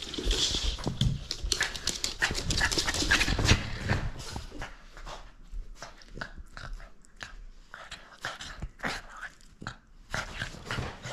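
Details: French Bulldog at play, refusing to give up its toy indoors; rapid, irregular bursts of huffing breaths, snorts and grunts, loudest in the first few seconds, then scattered sharp puffs.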